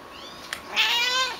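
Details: Vocal young black female cat calling from a cramped kennel at an Austin, Texas animal shelter; after a faint tap, a loud, strained meow that is bright at first, then slightly falls and tapers off.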